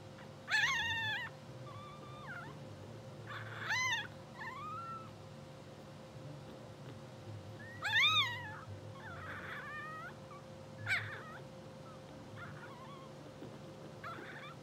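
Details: A blue sable English Bulldog litter only two hours old, sleeping and twitching on a puppy cam, lets out scattered short squeaks and thin rising whines with long quiet gaps, against a steady background hum.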